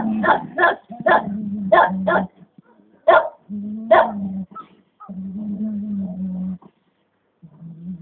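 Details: Komondor dog giving a few short sharp barks early on, then long drawn-out whining or moaning vocalizations with gaps of silence between them.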